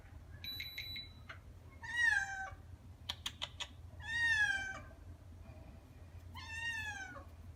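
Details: Pet cat named Nak G, a male born 19 May 2017, meowing indoors while waiting for his owner to come home: three drawn-out, falling harmonic meows about two seconds apart, with electronic beeps and clicks between them and a steady low hum.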